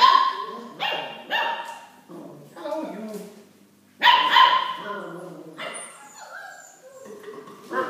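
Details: Eight-week-old Golden Retriever puppies being microchipped before leaving for new homes; sharp yelping barks in bursts near the start and around the fourth second, with human voices alongside.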